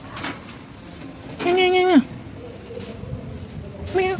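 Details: Hungry cats and kittens at a pagoda during feeding with rice and raw food: a single clear meow that holds level then drops sharply, followed by a short second meow onset, with faint background noise.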